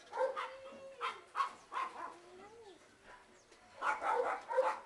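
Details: Two 8-month-old male terrier mix puppies, a big terrier type like Stafford, awaiting adoption; short barks come in uneven bursts, with a thin wavering whine sliding between them.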